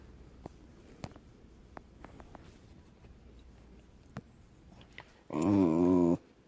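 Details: Deaf dog making noise while relaxing indoors: quiet room with faint clicks and taps, then near the end a single loud, nasal, wavering howl-like moan lasting about a second.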